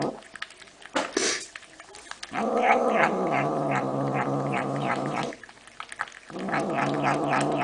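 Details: Domestic cat letting out two drawn-out, throaty growling wails, the first lasting about three seconds, then a brief pause and a second that runs to the end, with rustling and thumps beforehand.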